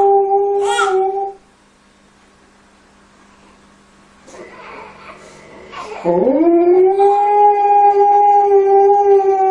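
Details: Alaskan Malamute puppies playing with kids: a brief howl, then a quiet pause with faint rustling, then a long, steady howl that slides upward and holds a clear, rich tone to the end.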